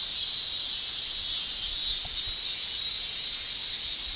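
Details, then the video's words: Summer cicada chorus in Japan, an unbroken piercing metallic whine that waxes and wanes gently in slow waves, with no other clear sounds. "Japan Summer Cicada Shrilling Relaxing Sound"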